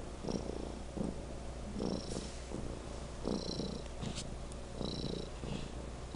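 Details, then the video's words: Loud purring from a house cat called Legend, a low throaty vibration pulsing with its breathing roughly every second, accompanied by a few faint high hissy sounds. "Legend Purring"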